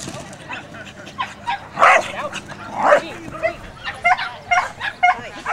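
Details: A female dog barks enthusiastically during a Performance Speed Jumping class, a series of short sharp barks, two louder ones near the middle, mixed with crowd chatter and a voice in the background.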